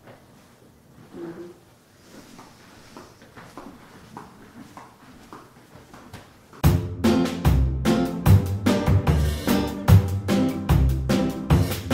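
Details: Soft indoor rustling and faint tapping give way to loud drum-kit music with a steady beat of bass and snare drums.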